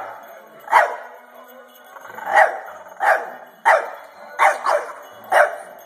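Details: A French Bulldog puppy, scared and confused by a singing toy dog, gives sharp, short barks at irregular intervals of about a second.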